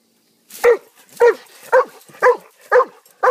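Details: Pet dog giving a steady series of six loud, rough barks, evenly spaced about half a second apart, each bark short with a slight downward slide and no other sounds around it.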